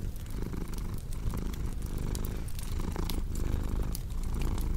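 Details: Domestic cat purring steadily, a low continuous rumble pulsing with each breath, over the sharp pops and snaps of a crackling fireplace.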